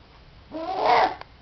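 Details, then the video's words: A single 24-day-old Border Collie puppy gives one loud, tonal whine that rises and then falls, followed by a faint tap. "Filhotes de Border Collie"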